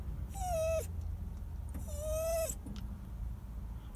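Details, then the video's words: Crying male dog giving two drawn-out, high, clear whines about a second apart, each dipping and then falling away at the end, over a low steady background hum. "sad crying dog"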